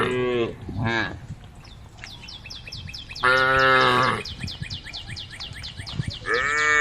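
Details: Grazing female cow lowing to call her herd: short, broken moos at first, then a full one-second moo and another starting at the end, under constant rapid high-pitched chirping.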